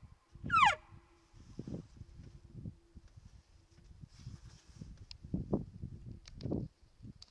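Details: Bull elk bugling at night during the peak rut on a mountainside near a wallow: one loud, high whistle sliding steeply downward in under a second, followed by low, irregular grunting pulses and rumbling.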